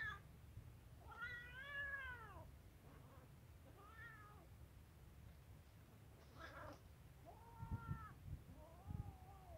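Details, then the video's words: Hungry kitten meowing between a white female cat and a male cat that are eating; several harmonic, arched meows, some long and drawn out, others short, over a low steady hum and faint clicks. "hungry kitten is present in the middle of a white female cat and a wise male cat who are eating"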